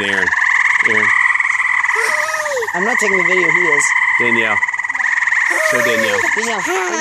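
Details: Frogs by a pool call in a steady, high, buzzing trill chorus while a person speaks over them.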